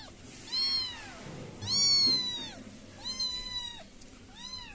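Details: British Shorthair kittens giving high, arched mews in a quick series, four calls in under five seconds, each rising then falling, the second loudest and longest, over quiet indoor background.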